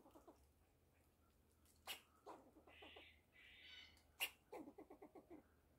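Fox squirrel giving sharp, clipped barks in quick runs, mixed with a couple of harsh, buzzy rasps.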